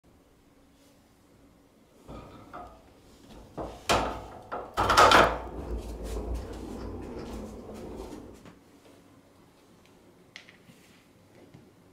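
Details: Wooden drawer or cupboard bangs and clatter in a small indoor room, with faint voices and no animal calls.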